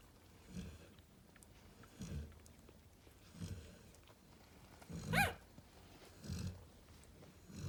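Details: Narla, a mother Cane Corso chilling with her babies, snores in soft, low rasps repeated about every one and a half seconds, interrupted once by a brief, sharp, higher-pitched squeak amid quiet room sounds.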